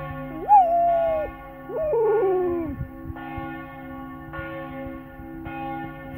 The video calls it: Flat Coated Retriever FCR dog howling at church bells